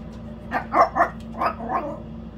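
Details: Pet Yorkshire Terrier talking a lot about food, curious about what's in a container: a quick run of about five short, whiny, yowling vocal bursts, mid-pitched and rising and falling, packed into roughly one and a half seconds, after a person's voice.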